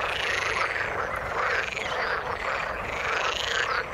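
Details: Water-dwelling frogs calling all together: a busy, continuous croaking chorus of rising and falling notes, loud and steady throughout the short recording.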